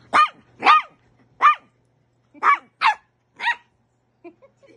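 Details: Pembroke Welsh Corgi puppy playing with a larger adult dog, barking insistently; six sharp high yips in quick bursts, then a pause and a few faint soft squeaks at the end.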